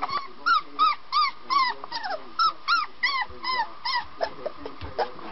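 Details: Puppy learning to bark: a steady run of high, thin yaps, each bending up then down, about three per second, fading toward the end over a faint background hum.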